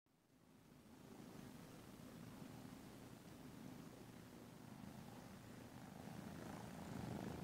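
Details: Caroline, a black-and-white tuxedo rescue cat in Huntsville, Alabama, nursing her kittens: a steady, rapid, rumbling purr that swells gradually louder over a low indoor hum.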